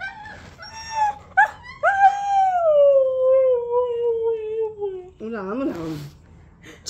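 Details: Siberian Husky named Oreo, coaxed to "say" Radhe Radhe: a long wavering howl-like vocalisation that slides slowly downward over about three seconds, preceded by short yelps and followed by a brief whine, with a person's voice prompting in Hindi.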